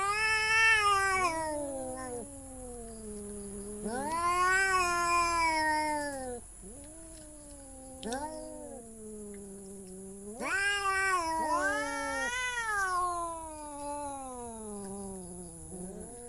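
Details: Cat producing a series of loud, drawn-out yowling meows, each rising sharply and then falling slowly. Short quiet gaps separate them, with brief clicks in between, over a constant thin high whine.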